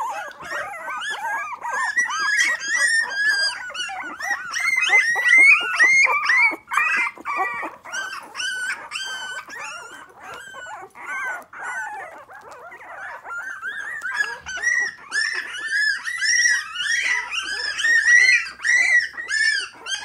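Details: Litter of five three-week-old Miniature Pinscher puppies, three females and two chocolate males, kept in a baby bed, starting to vocalise: continuous overlapping high whimpers, yips and squeaky cries, several puppies calling at once, with brief quieter stretches.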